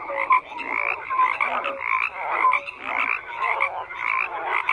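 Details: Many frogs croak at once, a rough, buzzy chorus rising in bursts roughly once a second, with short clear tonal notes scattered among the overlapping calls.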